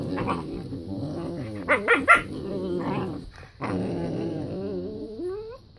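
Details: A group of whippet puppies, loud at the start of the morning. Continuous overlapping growls are mixed with short yelps. The clip closes on a rising whiny note.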